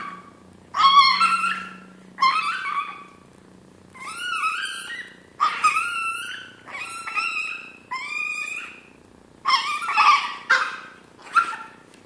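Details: Before a meal, the hungry Chihuahua Chino lets out a long run of about nine yelping whines. They are high and tonal, bending upward and then down, come in short bursts every second or so, and a faint low hum sits underneath.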